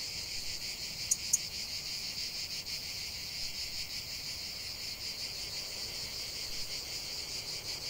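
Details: Cicadas singing in nature: a steady, dense shrill buzz held without a break, with two brief sharp clicks near the start.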